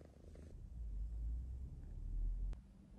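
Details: Contented domestic cat purring while having a good time; steady deep rumbling purr throughout, with one sharp click near the end.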